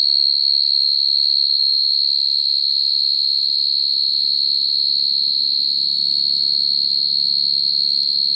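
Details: Field cricket calling naturally to attract females, a sound used for trapping crickets: a steady, shrill, high-pitched trill pulsing rapidly and evenly throughout, with a faint low rumble underneath.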